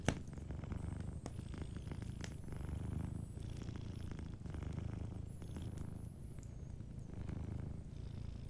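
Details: Soft purring from a sleeping cat by a cozy fireplace: a low, throbbing rumble pulsing in breath-long waves, with scattered wood crackles and a faint high whine in the background.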